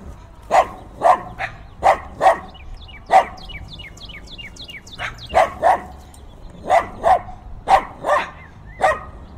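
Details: Dogs barking fiercely, recorded binaurally with in-ear microphones on a windy day: deep, hoarse barks mostly in quick pairs, about a dozen over nine seconds, with a cardinal's repeated downward-sweeping chirps between them.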